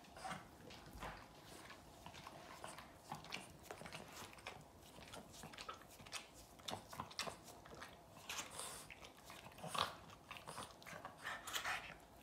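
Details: Boston Terrier named Yoda licking its owner nonstop indoors; wet, smacking clicks and slurps come in quick irregular bursts throughout, some sharper and louder near the end, over a low room hush.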